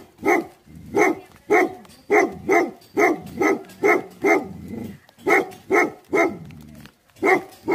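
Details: Angry Tibetan Mastiffs give rapid, booming barks in quick succession with little pause between them. One short break comes near seven seconds before a final bark.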